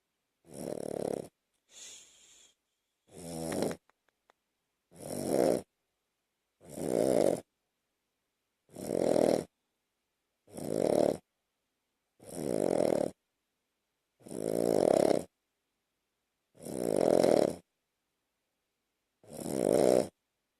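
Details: A two-year-old Shih Tzu–Lhasa Apso–Bichon mix snores in steady, rasping bursts about every two seconds while sleeping on its owner's chest at night.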